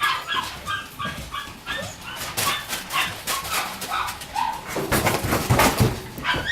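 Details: Shiba Inu puppies born on 21 September 2018, giving a steady run of high, thin whimpers and yips repeated about twice a second, some rising squeaks, over loud rustling and handling noise.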